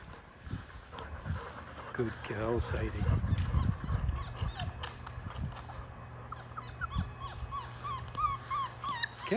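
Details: Young Labrador Retriever puppies, five weeks of age, in a shallow play pool: splashing and a woman's voice first, then a string of thin squeaky whimpers toward the end.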